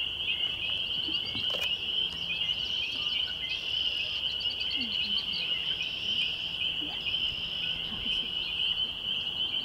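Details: Spring peepers calling on a May 2021 evening at Laurel Creek Conservation Area, north-west Waterloo, Ontario, Canada: a dense chorus of shrill, high peeps blends into one steady, unbroken ringing tone, with faint scattered calls above it.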